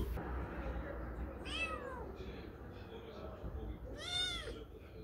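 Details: Street cat meowing: two clear, slightly descending meows roughly two and a half seconds apart, the second louder and longer, with people talking quietly in Korean in the background.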